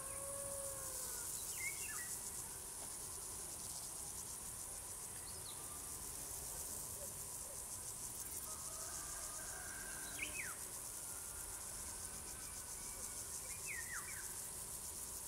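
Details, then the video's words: Crickets singing in a dense chorus, a steady high shimmering trill with fine rapid pulsing that never stops, while a few short sweeping bird chirps break in now and then over a low background rumble. "singing crickets"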